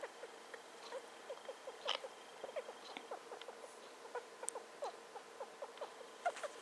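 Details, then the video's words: Female pet hamster aged just over two, sniffing about and squeaking more continuously than in her youth: a quick, steady stream of faint, tiny falling squeaks with soft pattering between them. "A cute squeaking hamster"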